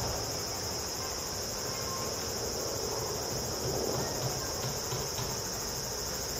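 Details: A large brown cicada (aburazemi) on a zelkova tree along the Tamako cycle path, Higashimurayama, Tokyo, sings a steady, sizzling, frying-oil buzz without pause at 14:44 on 15 October 2012, a clear day reaching 26°C.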